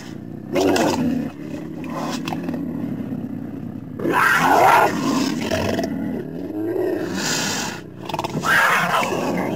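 A mountain lion calls with rough, strained, roar-like cries rising from a low growl into a harsher upper tone. The bursts come every few seconds, separated by breathy, rumbling pauses.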